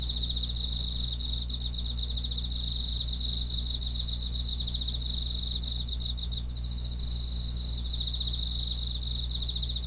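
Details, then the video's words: Dense grass-insect chorus of quick, high, buzzy chirp trains overlapping without break, accompanied throughout by a constant low hum. "풀벌레 소리"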